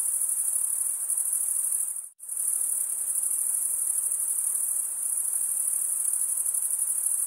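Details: Stridulating male crickets give a constant piercing high trill. It cuts to silence for a split second near two seconds in, then resumes just as dense and steady.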